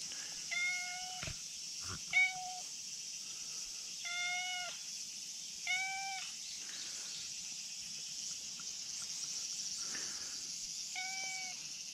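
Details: Brown tabby and white cat perched where it could tumble down a slope, meowing for petting: five short, bright meows with slightly falling ends, spaced irregularly every one to six seconds, with a steady high-pitched background hiss and a few thumps.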